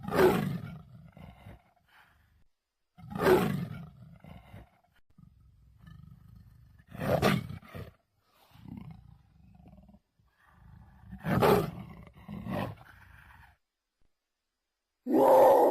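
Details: Jaguar roaring: hoarse, broadband bursts about every four seconds, each followed by quieter rasping grunts, with near silence between bouts and a loud burst at the very end.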